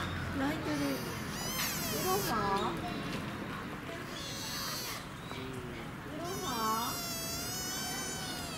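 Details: Two Honshu sika deer (Cervus nippon aplodontus) at Kyoto City Zoo, Japan, on 5 November 2017 give high, thin whistled calls that rise steeply, with people talking nearby.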